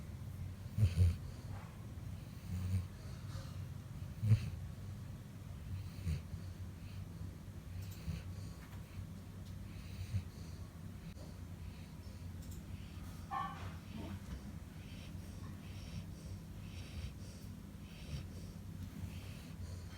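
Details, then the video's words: Sleeping Labrador Retriever named Chutki snores in a deep, low, wheezy rumble, about seventeen breaths a minute, with a few sharper snorts early on and steady low hum beneath. "Do Canine Snore ?? Watch Chutki"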